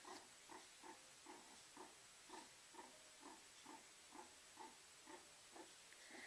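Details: Meerkat warming by the fireplace, uttering a steady run of low, soft grunts, about two per second in an even rhythm, each a brief muffled pulse over a faint hiss.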